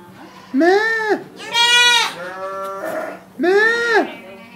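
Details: A young goat yells in three strong wavering bleats, the middle one longest and most strained, each rising and then falling, over a faint background hum.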